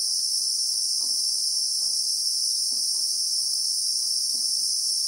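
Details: Christmas beetle (Anoplognathus) in the South African bushveld, recorded in real time: an unbroken, shrill, high-pitched drone in two bright layers, holding steady throughout, with faint soft low thuds about every half second beneath.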